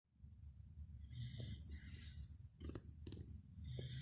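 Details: Pembroke Welsh Corgi asleep by someone's feet, snoring: low rumbling breaths with raspy, snorting bursts around the middle and end of the short stretch.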